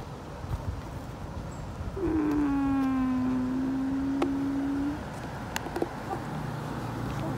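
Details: Stray cat outdoors in an urban setting giving one long, drawn-out meow of about three seconds, steady and slightly falling in pitch, then fading; faint traffic rumble and scattered clicks in the background.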